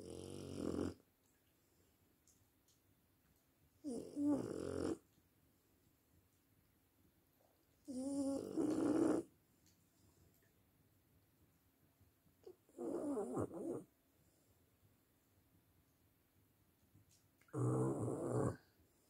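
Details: French bulldog snoring indoors: five loud, rough, raspy snores, each about a second long, coming roughly every four to five seconds with quiet breathing pauses between them.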